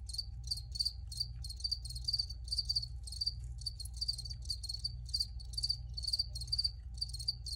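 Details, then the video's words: Cricket chirps in clear, separate bursts, each a quick cluster of high ringing pulses, roughly three bursts a second, over a low steady rumble and a thin constant hum. "Free Cricket Sounds for Re-Use or Relaxation"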